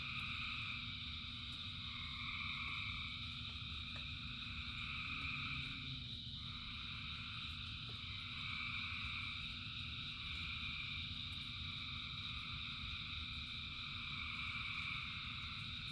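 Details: Thousands of frogs singing during rain; a thick wall of overlapping calls holds steady in high bands, with brief shifts in pitch midway, backed by continuous low rain noise.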